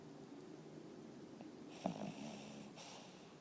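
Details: A dog named Nicky snoring at home: a soft, low rumbling breath sound with a brief snort near the middle and airy hissing exhalations toward the end, in a quiet indoor room.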